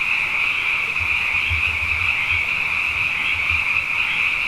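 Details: Abundant frogs calling at night after two wet years in a row, a chorus called Na Mele o nā Paloka: a dense, unbroken high-pitched trilling wall of sound with soft low thumps underneath.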